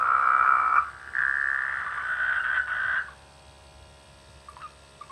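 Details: Rainy-season frogs calling from rice fields by a village; two long, overlapping buzzy croaks fill the first three seconds, then near quiet with a few faint, short clicks.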